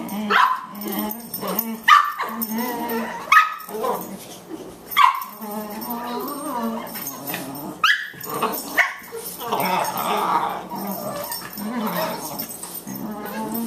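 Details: Two Boxer dogs at play, a 14-week-old female puppy and an older male; bursts of growling and grumbling vocalisations with sharp yips and barks scattered through, plus scuffling noises.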